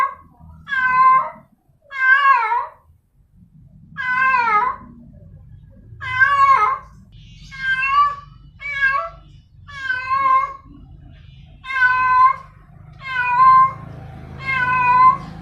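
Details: A female domestic cat gives drawn-out, wavering yowls one after another, a mating call to attract a male.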